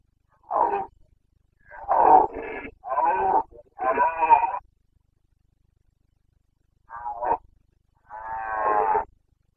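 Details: Carpathian red deer stag roaring in the rut, Bucovina mountains, Romania, 29 September 2022, in the mid-September to mid-October breeding season; six harsh, harmonic roaring bursts, four in quick succession, then a pause and two more, with no other sounds.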